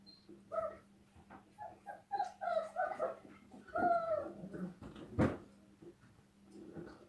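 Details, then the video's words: Dogs playing outdoors on a snowy day, giving short harmonic whines and yelping yips in irregular bursts, then one sharp louder cry near the end, over a steady low hum. "dogs playing on snowy day"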